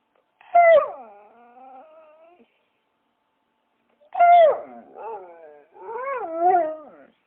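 A dog gives drawn-out, wavering whines and howls that slide downward in pitch, with pauses between.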